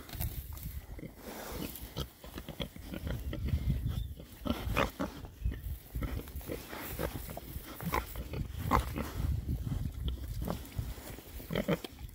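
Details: Six rare-breed Oxford Sandy and Black boar pigs foraging outdoors in winter between storms, giving low, rumbling grunts and snuffles amid steady rustling and crunching of ground litter.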